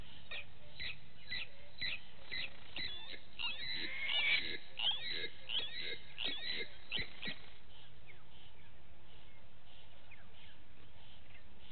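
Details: Morning at the Gowrie dam waterhole in Djuma Game Reserve, Sabi Sand, South Africa, with vervet monkeys: a run of quick descending chirps builds to a louder, busier burst near the middle, then fades into low background hum.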